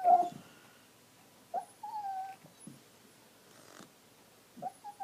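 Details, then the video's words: Indoor dog in a tantrum over his bone pushed under the sectional: a sharp whimper, then short scattered whines and soft yips separated by quiet pauses in a small room. "My Dog Throws Temper Tantrums"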